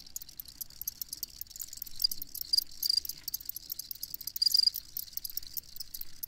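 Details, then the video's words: Crickets chirping as a nighttime sleep soundscape: a dense, steady shimmer of high, rapid pulsed chirps from many insects, with a few brighter, nearer trills standing out around the middle and a faint low rumble beneath. "Crickets Chirping"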